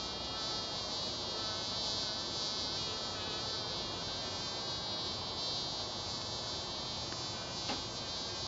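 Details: Mason bees buzzing each other produce a constant, layered drone with bright high overtones and a low rumbling underlayer, broken near the end by a short sharp tick, otherwise steady and uniform.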